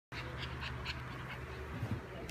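A French Bulldog grunts steadily in a low, nasal voice, with quick breathy snorts every fraction of a second. The rough, quacking quality is typical of a flat-faced breed's breathing.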